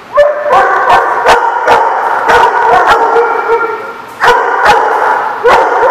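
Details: Dogs barking at a dog-care facility: dense, overlapping sharp barks and yips with ringing, echoing tones, sounding like several dogs together, with loud sudden bursts at intervals.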